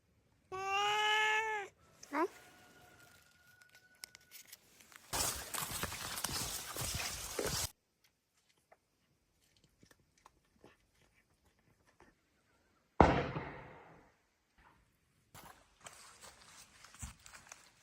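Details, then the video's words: A cat gives one loud, drawn-out meow that rises and then falls, followed by a short second cry, then rustling, thumps and bursts of handling noise, with a person speaking briefly. "Cute Meow Meoww"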